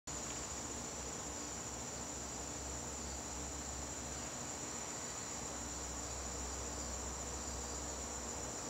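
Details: Crickets in a garden on a September evening, a steady, unbroken high-pitched trill sustained throughout, with a faint low rumble underneath.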